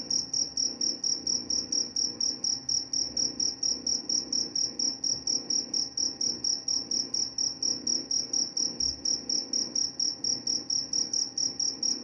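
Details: Even, high-pitched cricket trill broken into quick regular chirps, about four each second, steady for the whole stretch over a dim background rumble.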